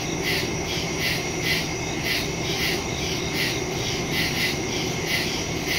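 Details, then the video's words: Woodland crickets at night on September 2, 2023, captured by phone with a stereo mic: shrill trilled pulses repeating in an even beat, several callers layered together, steady low rumble underneath. "Crickets in the woods at night"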